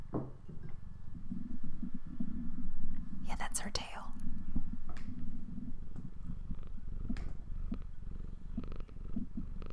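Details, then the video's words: Female house cat indoors, sitting in the way on a textbook while people work, purring: a steady low rumbling throb running through the clip, with soft whispered speech over it. "Cat Purring"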